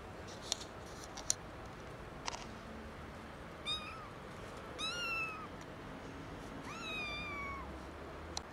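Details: Three young kittens found in someone's garden, meowing loudly: after a few sharp clicks, several drawn-out, high, harmonic meows, each bending upward then sliding down, spaced about a second apart, with low outdoor background noise.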